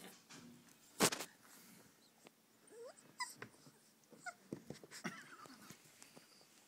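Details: Rhodesian Ridgeback puppies three and a half weeks old, visited at a breeder's kennel in 2010; soft, high whimpers and squeaks with rising, wavering tones come in scattered bursts, after a sharp clatter near the start, over faint rustling.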